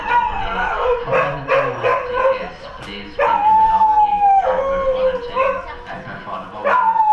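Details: Dogs at Kanchanaburi train station, Thailand, howling in response to public-address announcements: several overlapping, drawn-out wavering howls, some long and falling, with barks and yips mixed in and announcement speech underneath.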